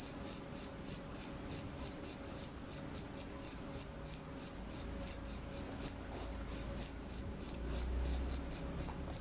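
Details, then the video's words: A cricket gives bright, high-pitched chirps in a continuous series, about three or four per second, each a short pulse with a faint upper overtone, over a quiet low background hum. "cricket sound"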